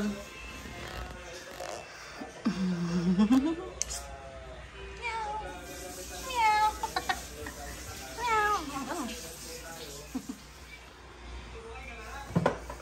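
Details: Pet cat meowing indoors: drawn-out harmonic meows that bend upward and downward, several in a row, with a person talking and background music throughout.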